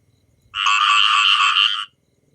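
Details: A frog gives a single loud, harsh, buzzy croak lasting just over a second, rich in overtones and steady throughout, set against a near-silent background.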